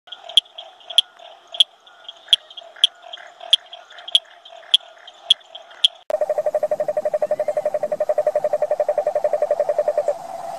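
Toad calls: first a series of sharp, evenly spaced notes, then a fast, low, buzzing trill.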